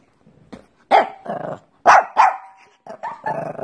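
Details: Pekingese barking in quick, harsh bursts, with paired loud barks each followed by a rougher, grumbling yap, ending in a hoarse, sustained growly bark.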